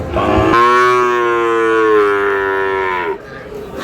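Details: Sahiwal bull calf among cattle bought by a Dhaka farmer, recorded 16 March; one long, deep, steady moo lasting about two and a half seconds with a slight fall at the end, after men talk about numbers and prices.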